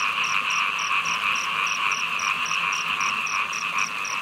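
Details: Frogs calling during heavy rain: a dense, steady chorus fills the mid range, with a sharp high ticking pulse repeating about four times a second throughout.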